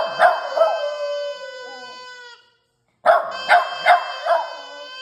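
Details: Puppy practising howling: two drawn-out, tonal, slightly wavering howls with bright harmonics. Each opens with sharp yelping accents, and a short silence separates the first howl from the second, which carries several repeated yips.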